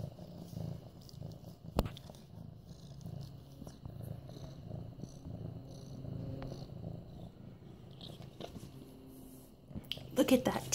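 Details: Low continuous purring from Mufasa, a medium-hair orange tabby male almost 8 months old, while being stroked; a single sharp tap early on and brief squeaky rustling near the end.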